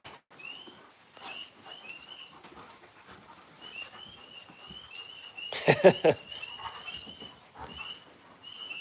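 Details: Alaskan Malamutes outdoors at night, around a playful wrestling match: thin, high whimpering squeaks repeated in short bursts through the clip, broken by one loud harsh burst near the middle.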